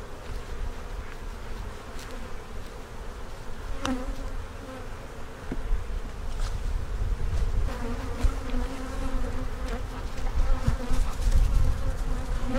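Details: Honey bees buzzing during an inspection of two backyard hives where capped brood and several queen cups are found, possibly before a swarm; dense, steady low hum that slowly swells louder toward the end, with faint handling clicks.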